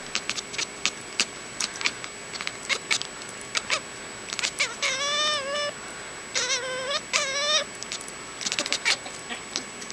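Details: Domestic cat chasing a laser pointer indoors, giving three drawn-out wavering meows around the middle, each about half a second long, among many short sharp clicks and taps.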